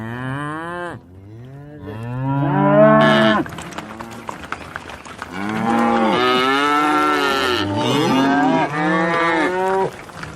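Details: Cows in a field mooing over and over, several animals overlapping in deep, drawn-out calls that swell and fall, some rising at the start, with a brief louder blast of broadband noise in the middle.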